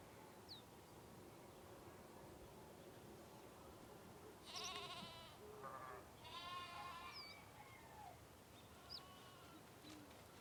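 Sheep bleat in several wavering, nasal bursts, with faint bird chirps in the background.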